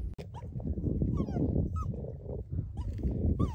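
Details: Puppy stuck in mud whimpering: short high whines that rise then fall, given in bursts through the clip, over low rumbling and splashing of mud and a person's footsteps nearby.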